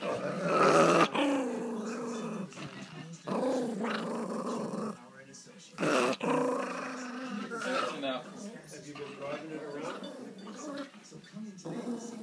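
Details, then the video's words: Pomeranian in a family home, mad that his treat was stolen, grumbles in a run of wavering, moaning growls and short broken snarls, with a person's voice heard between and over them. "Angry Pomeranian"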